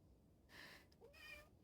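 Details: Cat excited by catnip powder in Pulford, near Chester, England, in autumn; two soft, quiet meows, the second rising then falling, in a hushed indoor room.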